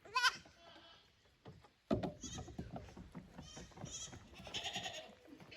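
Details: Visiting goat kids at Yoshigake goat farm, 15 May 2024, brought from the lower pasture to the upper one. A sharp short bleat opens, then a knock and softer overlapping bleats, with faint background rustling.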